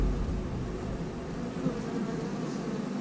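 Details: Honey bees buzzing in a house hive after brood has hatched out, a steady low drone with dense hum throughout and no clear breaks.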